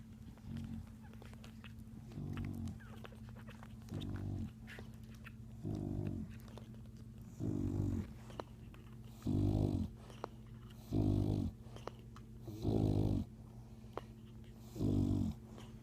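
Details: A mother English Bulldog snores while nursing her one-day-old puppies, with low, rattling breaths about every two seconds that grow slightly louder, over a steady low hum.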